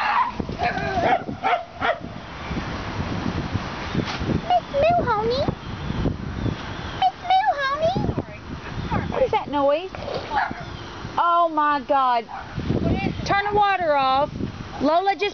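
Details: At home with a rescued dog, Moo, and other dogs, talk gives way to a run of high, rising-and-falling yelps and whiny barks, repeated rapidly in the last few seconds, with speech mixed in.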